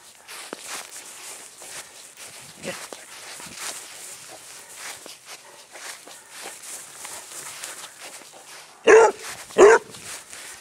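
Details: Squiggy, a rescued basset hound adopted through Arizona Basset Hound Rescue in Phoenix, is chased in play on a small patch of grass. Soft rustling footsteps lead to two loud, deep barks close together near the end.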